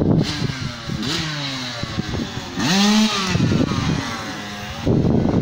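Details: Cows in a pasture, the black cow near the camera: a loud, close, bending moo rises then falls for about two seconds, with rough, noisy rumbling and clatter around it.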